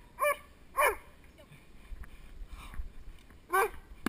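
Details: Male Doberman Spock in protection training, recorded from the helper's side on a GoPro Hero2: two quick barks, a quieter stretch with low background noise, then one more bark.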